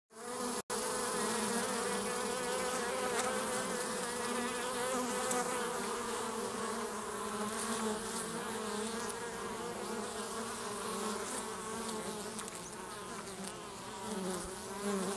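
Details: In a hive at Keweenaw National Historical Park, honey bees make a dense, continuous droning buzz as two bees remove an intruder and foragers return with nectar and pollen.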